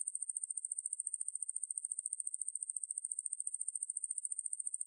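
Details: Steady shrill buzz of the conehead katydid Ruspolia lineosa, from a 2020 National Institute of Biological Resources recording, made of rapid regular pulses at one high pitch without pause, with nothing else audible.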